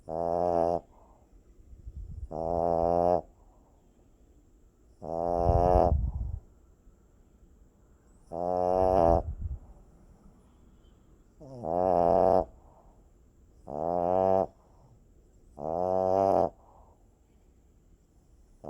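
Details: Sleeping puppy snoring: tonal, whining snores under a second long, each with clear harmonics, recurring about every two seconds, with soft rough breathing between them.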